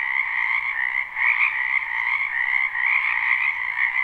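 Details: Croaking frogs in a spring wetland, recorded live without loops; a thick, continuous chorus of overlapping trills, briefly dipping near the one-second mark before rising again.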